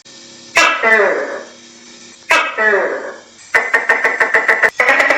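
Two loud, hoarse, barking croaks come from a tokay gecko, each falling away with a rough, throaty tail. These are followed by a rapid run of sharp, clicking pulses, close to three per second.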